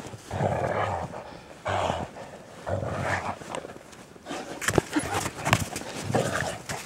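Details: Great Dane out in the snow giving three deep, harmonic woofs about a second apart, followed by a rougher stretch of snorts and huffing breaths mixed with crunching movement.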